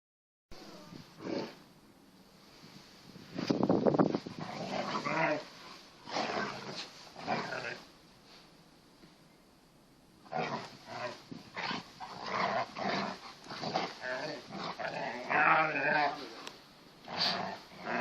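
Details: Two Kangal Anatolian Shepherds playing in a garden under repair: Tyson, a grey six-month-old pedigree male puppy, and Venus, a darker eighteen-month-old female crossed with collie. Rough growls and snarling bursts come irregularly, loudest early on, with quiet pauses between.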